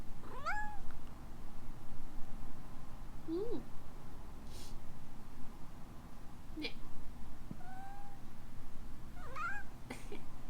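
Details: ['A female rescue kitten in Hawaii, Alana, who always reacts when someone sneezes, gives a scattered series of short chirps and trilling meows, some rising and some falling, between brief rustling noises indoors.']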